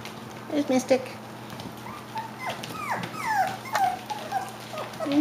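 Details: Five-week-old Klee Kai / Shiba Inu puppies giving falling whines and squeals in quick overlapping bursts, with a person's voice and low background hum.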